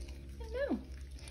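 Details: Six-week-old miniature schnauzer puppy gives one brief whine that rises slightly then slides sharply downward, about half a second long, over a steady low indoor hum.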